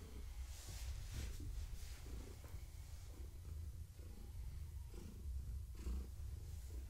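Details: Low rumbling purr from Gaia, a long-haired tabby pregnant with kittens, being stroked in the evening. The deep drone swells and fades in breathing cycles with faint rustles over it.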